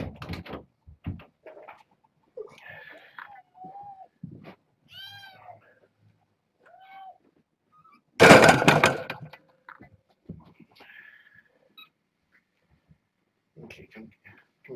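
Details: Young kittens, born August 29th to a family pet, meowing insistently one morning while trying to get over a fence to escape and explore. Several short arched, rising-falling mewing cries come in a scattered series, broken by a loud thudding knock and faint handling noise.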